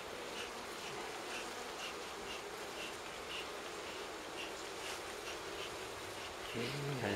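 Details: Wild honey bee colony, its four-comb nest on a fallen tree near the ground in a forest near Kiev, Ukraine, being smoked and moved into a hive: dense steady buzzing hum with faint rhythmic ticks and a louder thump at the end.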